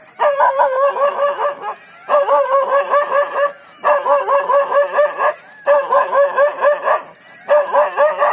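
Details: Dog in Jhalana, woken from a short slumber by a leopard and barking it off until it slinks into the undergrowth; loud harmonic barks in rapid bursts of five to seven, separated by short pauses.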